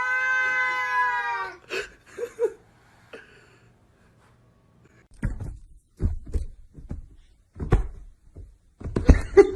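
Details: Domestic cat giving one drawn-out, strongly tonal meow lasting about a second and a half, slightly falling at the end, followed by a short squeak, a quiet pause, then scattered knocks and thumps indoors.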